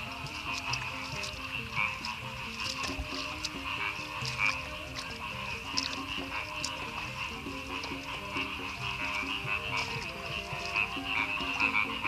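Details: A dense chorus of frogs croaks continuously over a steady high insect-like hum, near village rice fields on the edge of Madiun, the morning after a night of very heavy rain and strong winds.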